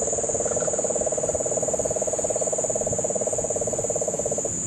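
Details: Guánica Dry Forest, Puerto Rico, September 2007 rains: a Puerto Rican crested toad gives a low, evenly pulsed trill lasting over four seconds. A shrill insect drone stays constant overhead, and cane toads are heard in the background.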